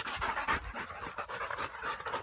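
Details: Rottweiler from the Gervi kennel, one of the pair Kaka and Vincy now living with army officers at a new home on open grassland, panting in quick, breathy, rhythmic bursts that continue steadily without pause.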